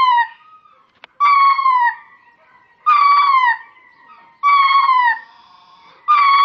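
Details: Mating call of a ring-tailed lemur aimed at a group of females off in the distance: five evenly spaced, plaintive wailing cries, each falling slightly in pitch, with a single faint click early on and quiet gaps between.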